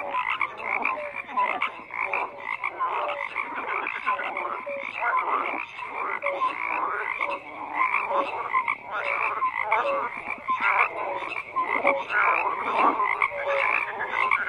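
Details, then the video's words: Overlapping frog croaks form an unbroken chorus of buzzy, pulsed calls with occasional short tonal peeps, and nothing else is heard. "FROGS CROAKING"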